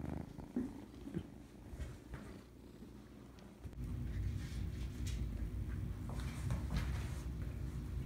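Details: Purring cat among nursery kittens that always seem starving: a quieter rumble at first, then from the midpoint a loud, deep, pulsing purr that holds steady to the end.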